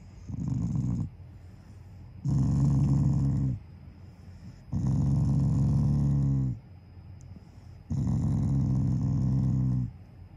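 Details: Taiga, a pet Shiba Inu, growls affectionately, not angrily, while lying down with the family; four deep, throaty rumbles lasting one to two seconds each, coming every couple of seconds, quiet room between them.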